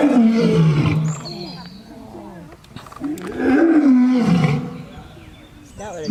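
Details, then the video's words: Lion roaring: two long, loud, throaty roars with a wavering pitch that dips and rises, separated by a quieter gap, ending in a short rising call. "The amazing lion roar sound compilation in wildlife"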